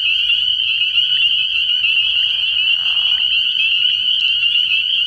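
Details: A frog pond at night early in the year, thick with spring peepers: constant high, piercing peeps blending into a single chorus, broken by a brief lower rasping croak between two and three seconds.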